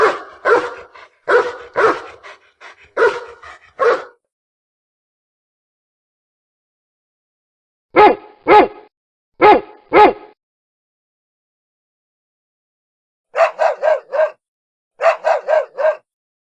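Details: Dog barking in short bursts: a fast run of about eight sharp barks, a silent pause, four spaced single barks, then two quick clusters of higher, snappier yaps near the end.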